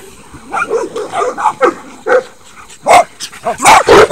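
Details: Miniature Dachshund and Saint Bernards running along the fence of a dog run, giving a series of short barks and yips, louder bursts near the end, with outdoor background noise.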